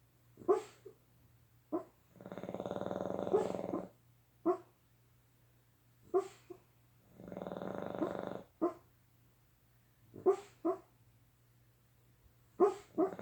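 A sleeping Boston Terrier gives long, rough, rattling snores about every five seconds. Brief snorts and snuffles fall between the breaths, over a low steady hum.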